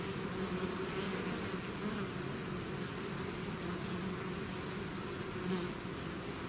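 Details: Swarming bees out of the hive make an even, enveloping drone; low humming bands carry short rising and falling whines from individual bees flying close by.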